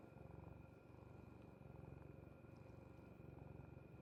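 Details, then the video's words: Rapid low pulses from a cat's stomach noise come in regular cycles, each lasting under a second with short dips between, over a steady faint hum. "cat love to stomach noise"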